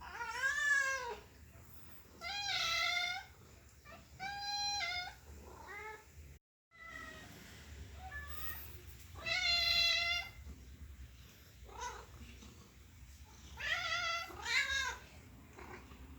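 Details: Happy domestic cat meowing again and again: short, arched mews that rise and fall, some paired, spaced a few seconds apart. The calls vary in length and loudness, with a brief silent break partway through and a quiet room between calls.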